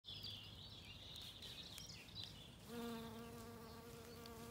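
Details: Bee in a Kilkenny wood, Ireland, foraging on wood anemones in warm spring sunshine; bright birdsong fills the opening, then a low steady droning hum with rich overtones takes over from midway to the end.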